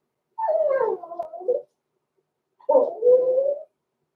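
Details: Six-week-old blenheim Cavalier King Charles Spaniel puppies, born November 14, 2022, in a home puppy pen; two drawn-out, wavering tonal howls about a second long each, separated by a short silence, with no other sounds.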